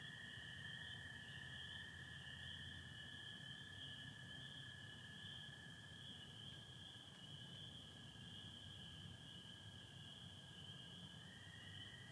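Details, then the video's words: Spring peepers calling with American toads in Michigan on the night of April 24, 2025, under stars with some overcast; dense high peeping merges into a steady shrill band, while a lower, long toad trill runs continuously underneath. "Sounds of spring peepers and american toads"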